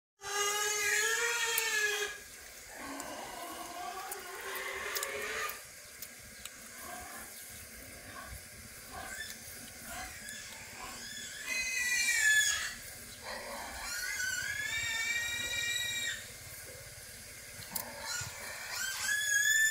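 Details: Mother dog nursing her puppies; high, wavering harmonic whines and squeals rise and fall in bursts of a few seconds, over a steady hissing background.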